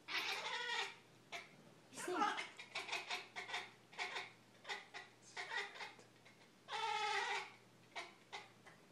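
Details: Siamese cat; bark; directed at a crow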